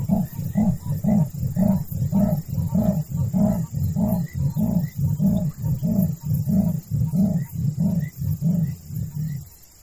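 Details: A leopard (Panthera pardus) in southern Africa gives its sawing call: deep, rasping grunts like a saw through wood, about two per second in a steady series, over a faint high insect hum.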